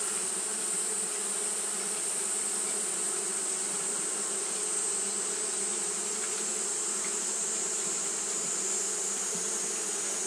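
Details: Japanese honey bees fanning continuously on a hot day: a steady, dense droning hum with layered low tones that holds even throughout, plus a constant high hiss above.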